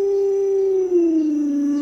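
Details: Pet Alaskan Malamute Luoluo holds one clear, steady howl for nearly two seconds, pure and even, sinking slowly in pitch toward the end with no other sounds.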